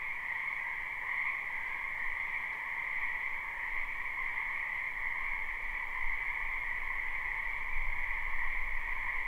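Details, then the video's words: Many frogs croaking in a wetland behind a house in spring, recorded live without looping: a dense, unbroken chorus forming a steady shrill hum with a lower and a higher pitched layer. No other clear sounds. "Ambient Noise for Sleep Frogs Black Screen"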